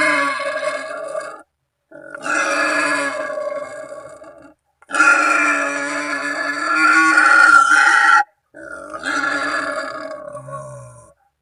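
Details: Wild boar's call to companions or rivals, used as a hunting lure; harsh, rich squealing grunts in four sustained bursts of two to four seconds, separated by abrupt gaps of silence.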